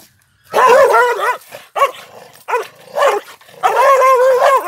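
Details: Pandikona male guarding a farmhouse lets out loud, harsh barks blending into a wavering howl: one long cry, a few short clipped barks, then another sustained wailing call.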